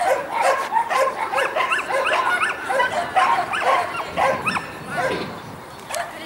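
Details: Dogs at a Saint Petersburg championship competition on 12 April 2015, a mixed-breed and a Shetland sheepdog present; quick, high, yappy barks repeat about twice a second in rapid bursts over a noisy indoor crowd.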